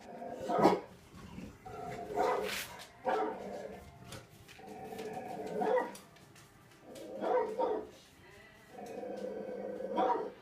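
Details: Tazz and Venus, two household dogs, search for who is barking while the TV plays barks; about six bursts of bark-like, harmonic calls spaced roughly every one to two seconds.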